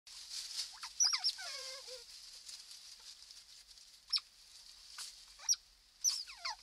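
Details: Otter pups born on 15 April 2020, inside their holt at ZSL London Zoo on a night camera: thin, high squeaks sweeping downward, some in quick strings and one lower wavering squeal, over a steady hiss.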